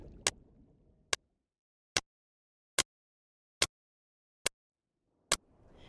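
A sperm whale's echolocation clicks come as crisp, percussive knocks, evenly spaced at just under one per second. A faint murmur of background noise sits at the start and end.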